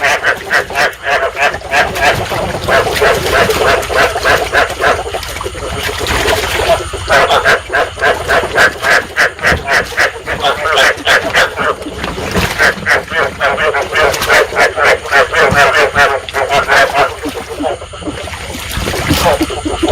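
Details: Chorus of rice field frogs, the breeding-stimulation call used as a trapping lure: thick layers of rough, pulsing croaks from many callers, steady and fast, with brief dips in loudness near the end.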